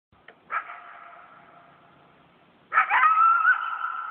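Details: Wild coyote pack at night in a yard: a short yelp, then a long steady howl, joined near the end by a sudden loud chorus of overlapping wavering howls and yips from the whole pack.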